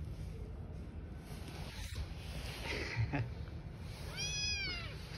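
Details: Street-living cat family, a mother cat with newborn kittens: one short, high, arching meow near the end, rising then falling, over steady low background rumble and hiss.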